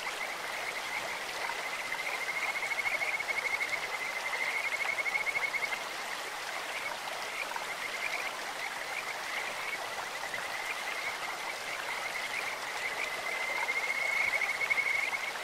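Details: Stream-dwelling Kajika frogs giving soft, high, bird-like trills that come and go, stronger near the start and again at the end, largely blended into the continuous rush of a clear stream.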